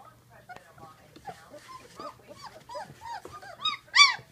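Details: Great Dane puppies sixteen days old, a litter together, giving soft overlapping squeaks and whines that swell into a louder high cry near the end, with a faint low hum underneath.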